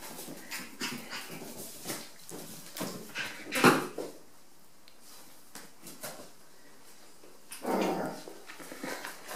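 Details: Five-week-old Rat Terrier puppies playing indoors in a bathroom, giving scattered soft whimpers and short yelps, with one louder sharp yelp midway and a brief whiny cry near the end; scuffling and handling noises throughout.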